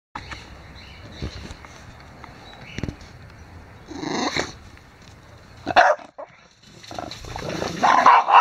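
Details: The neighbour's dogs give a few loud, abrupt barks in short bursts over a low background hum.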